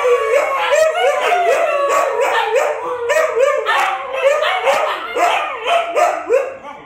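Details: Four Siberian Huskies, one of them a small puppy, howling together: overlapping wavering tonal howls rising and falling in pitch, with short yips and arched barking notes breaking in throughout, sustained as a continuous chorus.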